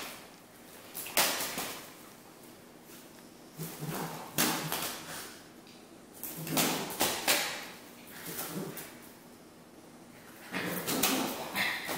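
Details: Morning play indoors with squeaky toys: bursts of clattering, knocking and rustling in a small room, recurring every second or two between quieter gaps, with no clear animal voice.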